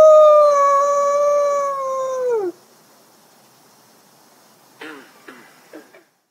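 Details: A captive-born male gray wolf at a wolf conservation centre in South Salem, New York, holds a clear, mellow howl for over two seconds before it slides steeply down and breaks off. After a pause, a few short, falling yelps follow.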